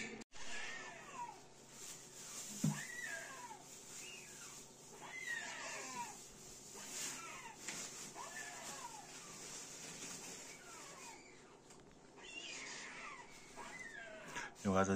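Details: Two rescued red squirrel babies (Sciurus vulgaris), a few days old, naked with eyes closed, found on the ground under a pine tree in Tahitótfalu, Hungary, in late May 2023. Kept in an incubator, they give thin, high, downward-slurring squeaks about once a second.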